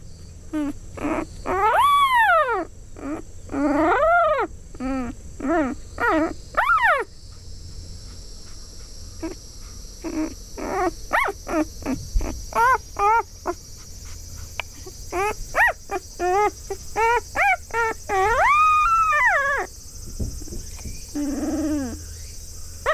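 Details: Four-day-old field-type Labrador Retriever puppy calling for its mother with the distinctive voice of a newborn: high, arched whining squeals, rising then falling, in quick bursts and short clusters, sometimes drawn into longer wails, with faint hum behind.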